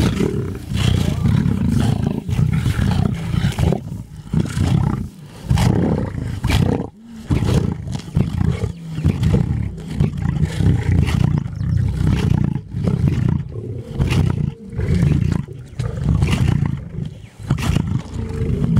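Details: Lion feeding at Antelope Park, Zimbabwe, giving deep, rumbling growls and roars that run almost without pause, rising and falling in heavy surges with brief dips between bursts.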